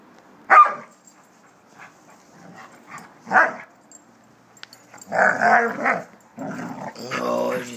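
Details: Two Doberman Pinschers, Gypsy Stoner and Gunther, at play: sharp barks and gruff growling bursts at uneven intervals, with a denser run of rough vocal bursts toward the end and people talking in the background.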